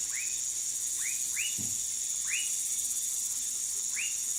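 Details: Brazilian dwarf tree frog (Dendropsophus nanus), Manaus, Amazonas: five quick upward-curving chirps spaced unevenly, one soft low thump midway, and a continuous shrill insect chorus behind.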